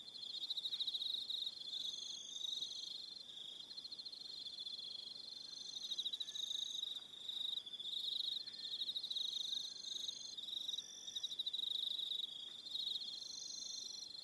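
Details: Crickets chirring in the evening on Aroha Island, New Zealand. A continuous, piercing trill of fast pulses has higher, thin, wavering tones overlapping it at intervals.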